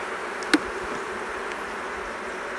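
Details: In February 2019, during spring-like weather at an apiary after overwintering, a Western honey bee (Apis mellifera) colony agitated by smoke gives a steady, dense buzzing hum with a brief click near the start.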